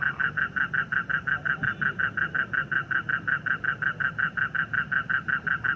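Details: A frog calling in a rapid, steady train of identical short pulses, about five every second and strikingly regular, roughly thirty notes in all, over a faint low background hum.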